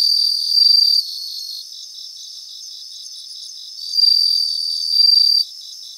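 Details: Multiple bell crickets singing in grassland. A loud, high, ringing trill of about one second is followed by a long quieter stretch of soft buzzing, then two more bright ringing bursts near four and five seconds.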